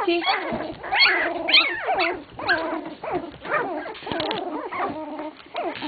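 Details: A litter of English Cocker Spaniel puppies, 16 days old, whimpering and squealing together: overlapping thin, wavering cries that rise and fall in pitch, about two a second, with several pups calling at once.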